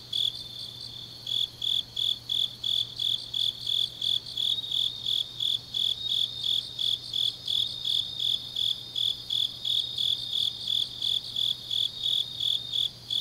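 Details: In Changnyeong, South Korea, autumn night grass insects chirp in a high, regular pulse near three beats per second, backed by a dense continuous insect trill and a faint steady hum.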